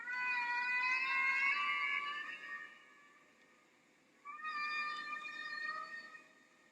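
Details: Humpback whale song from the original 1966 Bermuda recording of North Atlantic whales migrating north in spring: two drawn-out, slightly rising tonal wails rich in harmonics, separated by a brief quiet gap.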